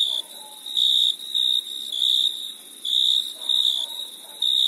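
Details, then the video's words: Night chirping of crickets in summer, bright trilled bursts with uneven gaps, accompanied at times by faint lower murmuring sounds in the background. "Crickets Chirping Sound"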